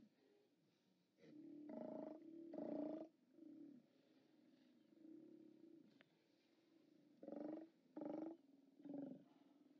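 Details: Steller sea lions at a haulout on 29 October 2017, captured by a live cam: gruff harmonic roars in short bursts, two loud ones early, then three more near the end, with softer rumbling calls from other animals between.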